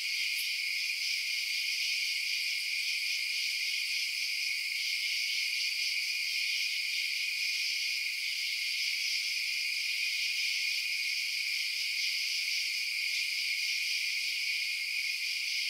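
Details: Night chorus of chirping crickets: constant high-pitched, pulsing trills stacked in bright bands, an even wall of insect sound with no pauses, lower sounds or other noises.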